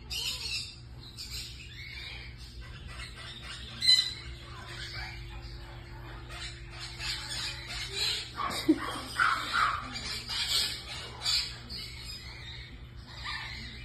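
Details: Baby marmosets Ace and Lola, exotic pets, call in bursts of shrill, scratchy squeaks, with brief quieter gaps and a few lower sounds in the middle, all over a constant low hum.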